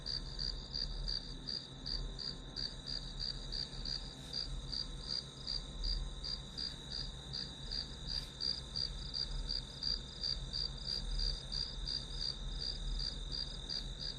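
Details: Night grass insects sing in rapid, evenly pulsed high chirps, close to three per second, layered over a continuous high trill and faint low hum, with a few soft clicks.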